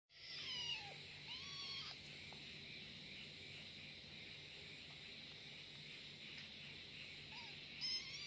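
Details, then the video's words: Kitten angry at its companion, meowing: a sharp falling meow near the start, a second drawn-out meow just after, then a short meow near the end, over a steady high hiss. "anak kucing lucu marah - marah sama temanya - suara kucing marah marah - kitten meonwing"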